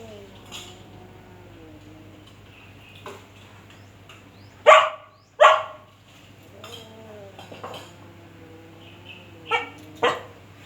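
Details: Dog barking at a cat with two loud harsh barks close together midway and two more near the end, separated by quieter rustles and faint background voices over a low electrical hum.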